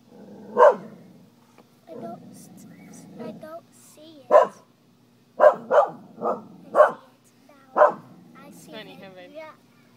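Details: A dog barking repeatedly, short sharp barks, about seven over ten seconds with a cluster near the end, while a jumping spider hops at each bark; people talking quietly in between.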